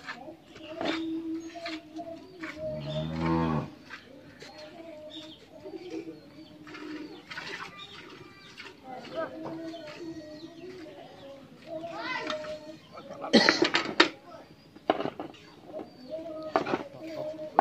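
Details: Friesian dairy cow kept with her bull calf on a farm; a drawn-out low moo stands out around the third second, amid rural clutter of short calls, clicks and bird chirps, with brief bursts of noise later.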